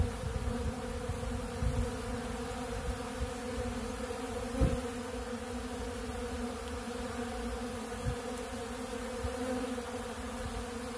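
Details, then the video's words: Honeybees feeding on ultra bee pollen at a big blue pollen feeder, many bees together: a steady, dense droning hum with layered low tones, brief louder swells as individual bees pass close near two, five and eight seconds. "Therapeutic Treatment Sounds Of The Honeybees"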